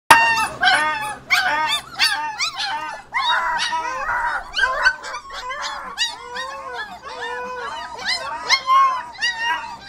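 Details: Border Collie puppies, 25 days old, singing together in a crate while their play area is cleaned; overlapping high whiny yips, whimpers and rising-falling howls, several voices at once, continuous for the whole stretch.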